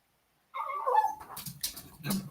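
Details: Puppy heard indoors at home during a party while its owner puts her dog away; a short whimpering, whining cry followed by rustling and thumps.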